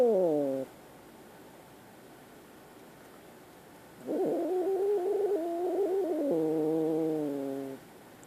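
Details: Frightened kitten crying: a short falling wail cut off at the start, a long silence, then an extended wavering yowl of nearly four seconds that shifts pitch and drops into a lower growling tone at the end.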